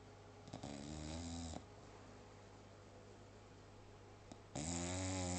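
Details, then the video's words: English Bulldog snoring: two long, loud, rattling inhalations with a buzzy, vibrating tone, separated by a quiet pause of about three seconds. "English Bulldog snoring"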